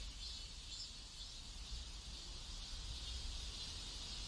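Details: Cicadas in a neighborhood in South Korea, a steady high hissing drone held without a break, with a low rumble of background noise underneath.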